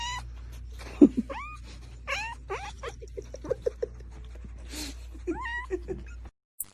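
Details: Cat making short meows that bend upward, one near the start and another near the end, amid scattered clicks, thumps and knocks, over a low hum.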